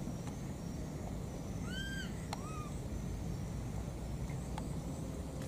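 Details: Two wild baby monkeys calling for their mother. A pair of arched, whistled squeals sounds near the middle, followed by a shorter, softer one, over a constant low rumble with a few sharp clicks.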